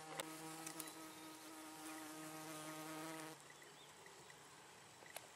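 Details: Steady harmonic wing drone of a female Chrysotoxum cautum hoverfly egg-laying on chalk downland. The buzz holds for about three seconds, then cuts off, leaving faint ticks and quiet background.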